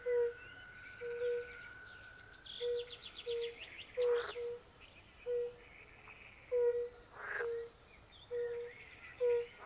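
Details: At a forest pond, European fire-bellied toads repeat short, soft, mellow notes at a slow, even pace. Occasional rasping croaks from pool frogs and faint high chirps and trills fill the gaps.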